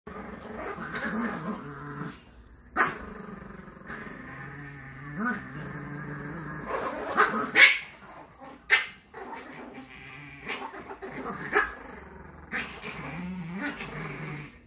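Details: Two Chihuahuas, Tallie and Ivy, on a Monday morning in their round bed: low harmonic growls rumble on and off, broken by sharp clicks and rustling bursts, with a few brief gaps of quiet.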